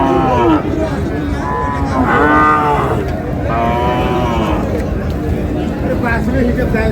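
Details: Thin, bony cows for sale at Raniganj cattle market in Dinajpur on 25 June, a Thursday. Several deep, drawn-out moos rise and fall one after another, with traders talking and crowd noise throughout.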